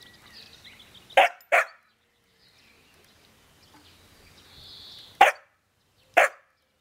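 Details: Young Jämthund at play barks at an older dog that holds the most prized meat bone, testing who ranks higher. Sharp barks come in a quick pair, then two single barks spaced apart, with near silence and faint hiss between.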